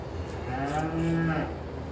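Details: Dairy cattle on a farm on Christmas morning at milking time; one low, drawn-out moo with a steady harmonic tone lasting close to a second, against a faint indoor background hum.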